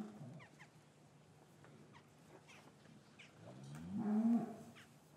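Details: Cattle in a traditional English farm yard on a winter afternoon, calves separated from their mothers, recorded with a matched pair of Rode M5 microphones. A brief low moo comes at the start, then a louder, harmonic, drawn-out low over faint yard rustles and clicks.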